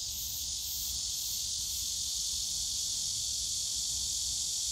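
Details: On a summer day among the bamboo of Yongsan Family Park, cicadas keep up a loud, continuous shrill drone that barely changes in pitch or volume, with faint low rumble beneath.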